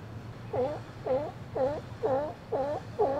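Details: Steller sea lion in a harbour on a sunny winter day in January 2012, resting among its group: six evenly spaced, rough, wavering calls, one every half second, over a faint low hum.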